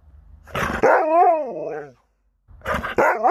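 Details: Pet Alaskan Malamute reacting to a daughter coming home: a harsh bark leading into a wavering, woo-like vocal glide that falls away, then after a pause another rough bark with a rising tone.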